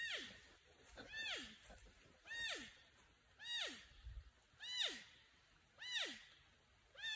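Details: Porcupine alerting or calling for a friend or mate: a repeated, whining, wavering cry that slides downward with rich harmonics, about one call per second in a steady series, in quiet outdoor surroundings.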